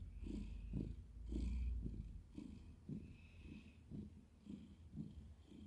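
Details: Cat purring steadily, a deep vibrating rumble pulsing with each breath about every half second, with a slightly snuffly, breathy texture over the low drone.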